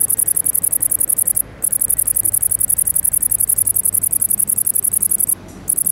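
A great green bush-cricket sings a loud, very high, rapidly pulsing buzz that runs on almost without pause.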